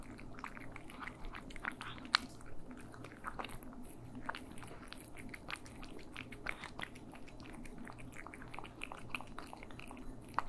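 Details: Cats feeding indoors, captured in stereo: soft continuous chewing with occasional louder crisp crunches, one sharp bite standing out early, over a steady low hum.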